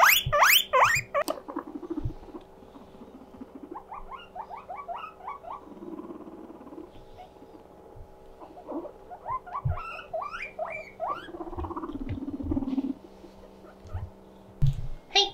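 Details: Pet guinea pig named Mokohei calling loudly when lonely, a 'puipui siren' of rapid high squeaky wheeks in bursts, with steady background hum and rustling; guinea pigs also competing for celery.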